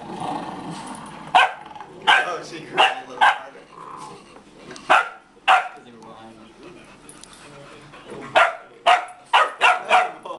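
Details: Pika, a dog, playing tug with her puppies: about a dozen short, harsh bark-like bursts in irregular clusters, with a quieter stretch mid-way and a person talking in the background.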